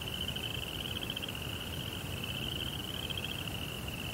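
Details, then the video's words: Nighttime chorus of crickets in a Japanese Zen rock garden. An even, high, buzzing trill of fast pulses holds steady throughout, with faint low rumbling beneath. "Cricket Sounds"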